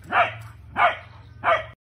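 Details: Corgi barking while playing with its cousin; three short, punchy barks evenly spaced about two-thirds of a second apart over a low steady hum.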